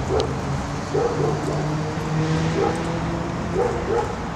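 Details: A Shiba Inu playing ball at a park dog run gives short, sharp barks at irregular intervals over a low city hum.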